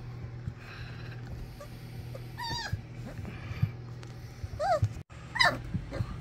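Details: Young English Springer Spaniel puppies of Ruby Todd's first litter, Bigfoot's kennel, letting out a few high, wavering whines spaced seconds apart amid quiet rustling and a low background hum.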